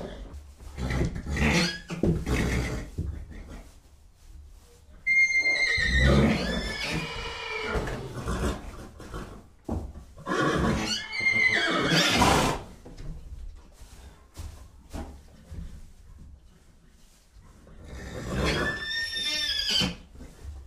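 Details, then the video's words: Horse neighing in several rough, shaky whinnies separated by breathy snorts and low rumbling noise, with a final high quavering call near the end. "Sounds of horses. What sounds do horses make?"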